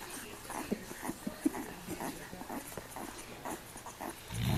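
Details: A Weimaraner mother, asleep while nursing her litter of five-day-old puppies, snores with soft, raspy breaths in uneven bursts.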